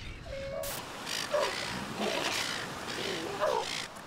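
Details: Sea lions in a large colony off the coast of South Australia, fighting aggressively among themselves, with pups often the victims; short nasal, bleating calls sound repeatedly over rushing surf and wind noise.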